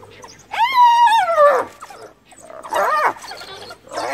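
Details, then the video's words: A hyena in Kruger, a mother near her recently dead cub and cornered by wild dogs, calls for help from her clan with a loud, tonal, whining cry that rises then sags, then a rougher second cry. "Hyena Cornered by Wild Dogs Calls for Backup!"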